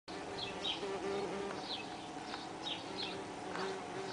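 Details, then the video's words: Saxon wasps (Dolichovespula saxonica) at their nest on 23 June 2010, giving a steady low droning hum with wavering tones, while small birds chirp faintly in the background over a broad hiss. "Nest der Sächsischen Wespe (Dolichovespula saxonica)"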